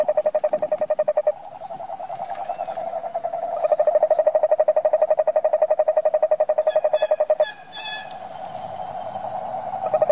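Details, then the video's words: Toad trilling in long runs of quick, even pulses at a mid pitch, alternating with smoother droning stretches, while faint higher chirps and clicks from other creatures appear in the background. "Som de sapo - frog sound"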